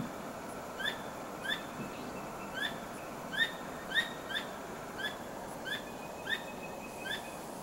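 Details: At night a squirrel, wagging its tail and not caught in anything, gives bright clipped chirps, some louder than others, spaced irregularly about half a second to a second apart over a steady noisy backdrop.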